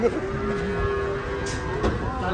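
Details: A steady, drawn-out moo from restless cattle being unloaded from a truck, held on one even pitch with faint overtones, over a background of murmuring voices and engine hum.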